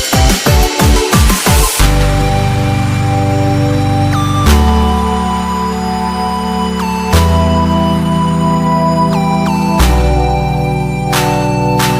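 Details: Loud electronic dance music with a quick drum opening, then sustained synth chords and sliding tones, and no animal sound.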